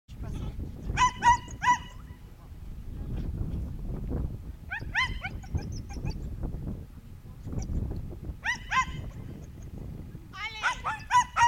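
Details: Young Schipperke barking during a herding training course in September 2010: short, sharp high-pitched yaps in scattered pairs and clusters, with long gaps filled by low rumbling background noise and faint voices.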